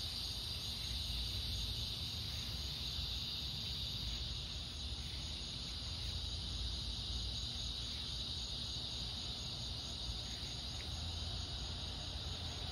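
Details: Evening summer chorus of cicadas on August 4th, heard while walking at dusk: a continuous high, even drone with no pauses, layered over a constant low rumbling background.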